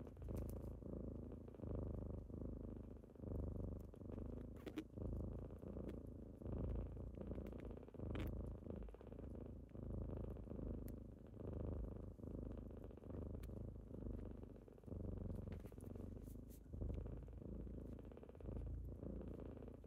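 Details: Kittens purring indoors on a typical morning as they wake their owner: a steady low rumbling purr that swells and fades in breaths roughly every second and a half, with faint soft clicks and rustles.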